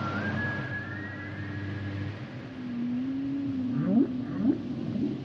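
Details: Humpback whale singing a high rising wail, then a low steady moan that bends upward, ending in a few quick upswept whoops, with constant underwater background rumble.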